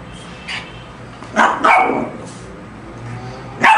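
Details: A Lhasa Apso confronting a shark gives a soft yip, then a pair of loud harsh barks close together, and a final sharp bark at the end; faint low room hum underneath.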